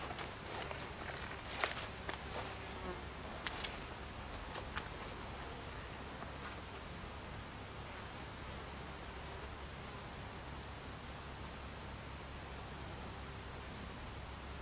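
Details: Buckfast honey bees in an alternative beehive in July, a dense steady hum of many bees filling the air with a low drone, a few brief louder buzzes of bees passing close in the first five seconds.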